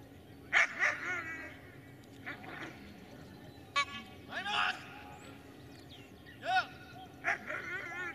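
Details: Dobermann named Magmar Von Der Burgstätte giving short, sharp barks in scattered bursts, roughly seven over eight seconds, some doubled, with a faint background hum.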